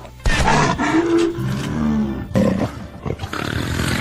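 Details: Leopard in the savanna giving rough, throaty growling roars in uneven bursts, with a brief pause before a final harsh burst.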